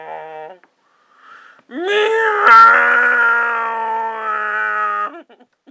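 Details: Briggs, a cat being scared: a brief tonal mew, a short pause, then a loud, strained yowl. The yowl is held steady and harmonic-rich for over three seconds before it breaks off abruptly.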